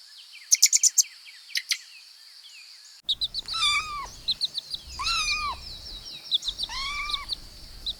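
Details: Kittens playing with pine cones on grass outdoors: after a burst of high bird chirps, three drawn-out arching mews follow one another about every second and a half, with small birds twittering throughout.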